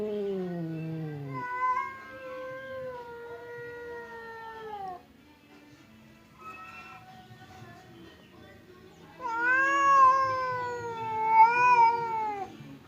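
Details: Pet cats Temon, a fierce one, and Lelo, a quiet one, kept apart by a partition, trade threatening yowls: a falling cry, then drawn-out moaning tones, a quiet gap with soft murmurs, and a loud wavering howl rising again.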